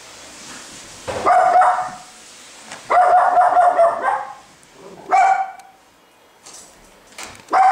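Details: A Chihuahua confronting a Maine Coon cat barks repeatedly: two sustained, grating barks, then shorter yapping barks separated by uneven pauses of one to two seconds.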